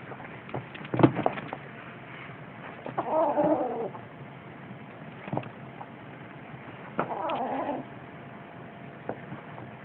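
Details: Six-week-old Siamese kittens recorded on 8 December 2011; two drawn-out, wavering meows about four seconds apart, with scattered clicks and handling knocks between them.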